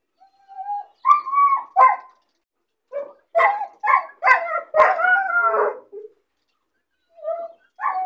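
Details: Caged, lonely puppy left by itself, upset at seeing other dogs play outside: thin high whimper, then bursts of yelping barks and a long quavering cry, with quieter whines after a gap.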